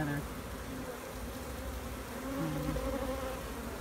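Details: Bee colony opened to inspect a new queen and her cells, giving a dense, continuous droning hum with shifting low tones and a grainy texture throughout.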